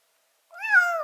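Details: A rescued white kitten, found crouching near death at a front door in Japan in early winter and about to be taken to a vet, gives one clear meow that rises briefly, then falls and trails off, in a quiet indoor setting.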